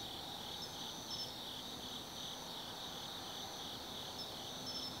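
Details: Insects singing on an autumn night at Tsukimi no Mori, Kaizu City, Japan, viewed from a hilltop observatory; dense unbroken high-pitched trilling with intermittent sharper chirps on top and a soft low background noise.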